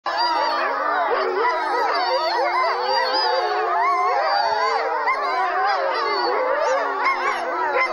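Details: Several grey wolves (Canis lupus) howl together close up in a chorus of long, wavering, overlapping tones that rise and fall without pause, communicating with each other.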